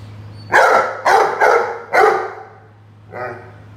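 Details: Roady, a Rhodesian Ridgeback, barks at a watering can during play: four quick, loud barks in a tight burst, then a softer fifth bark after a pause, with a low steady hum beneath.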